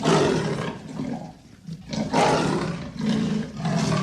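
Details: Leopard giving harsh, rasping roars in three or four bursts, loud and rough with breathy texture, brief quieter gaps between them.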